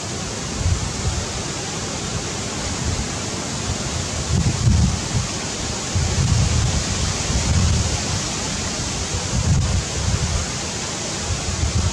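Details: Loud, roaring wind buffets the microphone in surging gusts, and nothing else can be made out.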